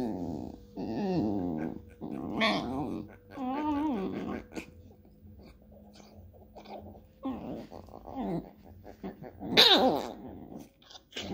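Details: Basenji and Chihuahua fighting over food, one of them growling: rough, rising and falling growls with whiny overtones in bursts of one to two seconds, separated by short quieter gaps, ending in a louder snarling outburst.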